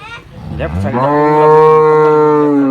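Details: A Girlendo cow at a cow farm in Pakistan gives one long, loud, steady moo that swells in its first second and holds an even tone to the end, after men talk in Urdu about the animals for sale.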